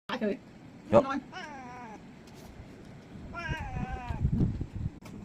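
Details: A cat, said to be hot and slipping into a mosquito net to sleep, gives two drawn-out, wavering meows with rich harmonics. People speak briefly around them, and a sharp knock sounds near the start.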